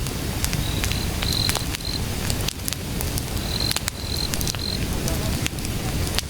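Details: Cricket calling outdoors at night beside a crackling wood fire: thin, high, steady trills come in short bursts, clustered twice in the clip, while sharp pops and snaps of burning logs run throughout over a low rumbling background.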